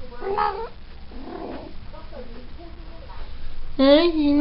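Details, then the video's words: Female Maine Coon cat just come into season (in heat), calling: a short harmonic meow near the start, then a louder, drawn-out wavering yowl at the end, with quiet Spanish speech between them. "Maine Coon Cat in season"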